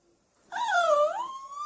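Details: A puppy lets out a long, high, tonal whine that dips in pitch, then climbs back and holds steady, like a pleading cry.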